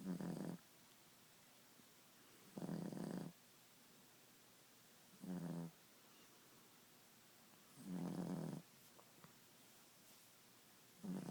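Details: Ziggie, a Boston Terrier, snoring at nap time indoors: rough, low rasping snores in short bursts of about half a second, repeating every two to three seconds with quiet pauses between breaths.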